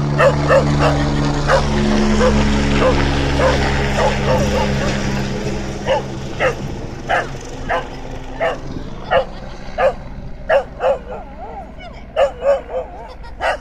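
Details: Pet dog barking at an air ambulance helicopter: a long series of sharp, short barks, at first over the steady low drone of the rotors, which fades through the first half, leaving the barks clearer and more widely spaced toward the end.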